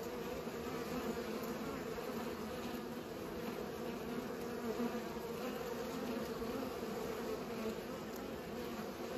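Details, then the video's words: Swarming drone of bees pollinating, a continuous low buzz with faint waver in pitch, dense overlapping wingbeats and nothing else standing out. "Bees pollinate"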